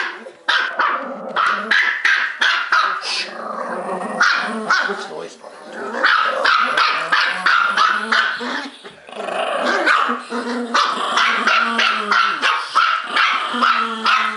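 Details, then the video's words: Two pet dogs, Trixie the Bichon Poo and Sophie the Malti Poo, bark non-stop in rapid, irregular volleys of sharp barks with growls, while a woman repeatedly scolds them to stop, break it up and take a time out. "Girl dogs gone wild!"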